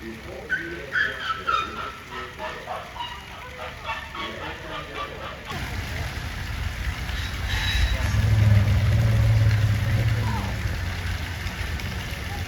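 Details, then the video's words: Asian elephant at a zoo growling like a motorbike engine: after voices chatter, a deep, steady low rumble swells in loudness and holds for several seconds, rough and engine-like, before easing off. "バイク音みたいに唸るゾウ【Elephant roars.】"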